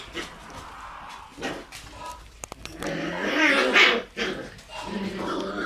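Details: Red Shiba Inu female puppy, born 27 September, letting out a rough, growly burst of yapping in the middle, with softer grumbles before and after and human voices in the background.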